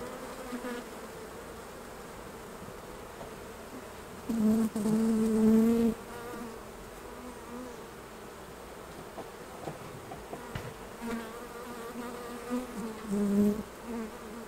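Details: Honey bees buzzing during a honey harvest from the hives: a quiet background hum broken by two louder droning bursts, one lasting over a second and a shorter one near the end, with occasional faint knocks.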